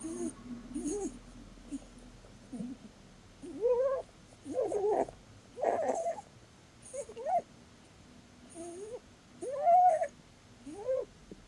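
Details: Snoring sleep sounds from Blueberry, a female Holland Lop bunny being cuddled: quiet low wheezes at first, then louder rising whistled squeaks every second or so, some breathy and rasping.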